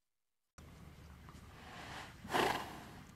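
A horse lets out a soft, breathy sigh, a long exhalation that signals contentment and relaxation.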